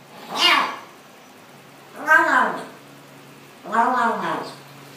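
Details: Cat meowing while eating, from a compilation of funny cats and kittens that seem to say "yum yum yum" as they eat; three drawn-out, rich harmonic meows, each rising then falling, spaced about a second and a half apart indoors.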